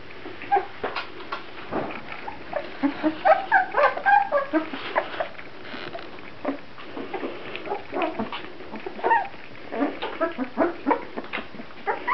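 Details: Grand Basset Griffon Vendéen puppies making a busy stream of short squeaks and yips, with thin rising whines near the middle and end and some shuffling noises between them.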